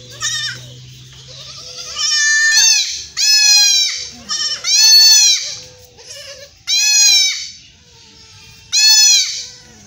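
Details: Goat kid in a Bangladeshi village bleating while being castrated: about six loud, high, wavering cries, each roughly half a second to a second long, separated by short pauses, with a faint low hum beneath.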